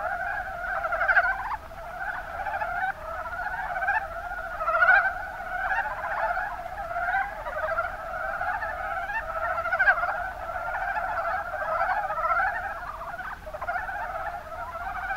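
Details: In Kumamoto's Kuma Basin in Japan, a group of mountain brown frogs (Rana ornativentris) keeps up a steady chorus of low, rapid, knocking croaks for fifteen seconds, with occasional louder notes rising above the mass.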